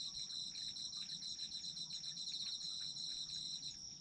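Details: Chorus of autumn insects, one unbroken high-pitched ringing trill layered over a fast, beaded pulsing chirp that continues evenly for the whole stretch, soft low rumble beneath.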